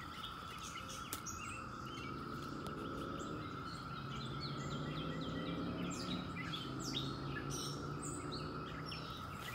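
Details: 17-year cicadas in late May produce an unbroken droning chorus, with chattering birds above and a low rumbling hum that rises and falls midway.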